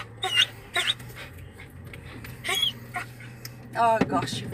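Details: Dog in a car whining to have the window opened; thin, high, wavering whines rise and fall in short bursts, alongside people talking and laughing nearby.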